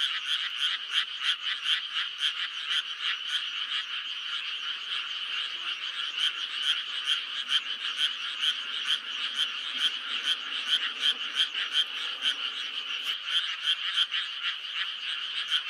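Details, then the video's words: May frog chorus, dense and continuous: rapid rasping croaks repeated several times a second by many overlapping callers, forming an even, unbroken wall of sound with a faint low murmur briefly underneath. "5월의 개구리 울음소리"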